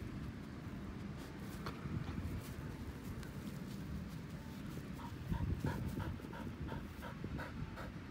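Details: An elderly white Samoyed named Pasepon relaxing on a lawn pants steadily, soft breathy bursts repeating in a quick even rhythm, with a brief human voice near the middle and low outdoor rumble underneath.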